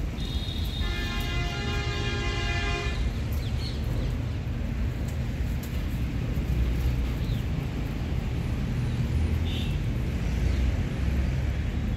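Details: Outdoor rumble like passing traffic, with a car horn blaring steadily for about two seconds near the start and brief faint voices later.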